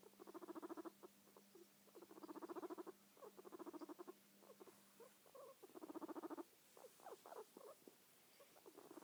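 A guinea pig purrs in quick, buzzy bursts of rapid pulses, each lasting about a second.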